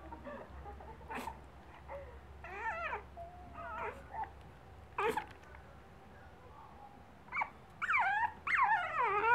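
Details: Watching footage of herself taken earlier that day, the female pug puppy Bella whimpers in short wavering bursts, building toward louder, drawn-out, falling whines near the end, with low room hum underneath.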